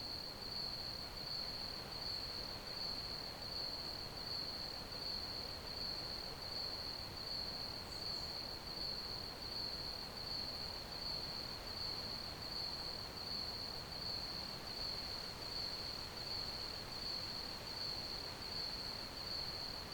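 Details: Crickets chirping in a steady high-pitched trill of rapid pulses, even and unbroken throughout, over a constant broadband hiss and low rumble.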